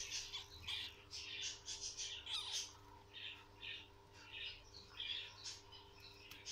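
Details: Guinea pig at a birth giving rapid, high-pitched squeaks in short repeated bursts.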